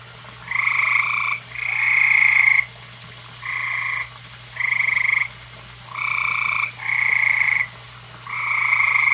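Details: On a summer evening by a koi pond, frogs call in a chorus of harsh, rattling trills. Seven buzzy bursts, each under a second, come in close succession against a constant low hum.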